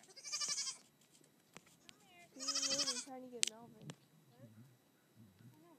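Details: Young Nigerian Dwarf goat kid playing on a hill alongside another goat; two tremulous bleats, the second longer and sliding downward, followed by soft human talk and quiet low sounds.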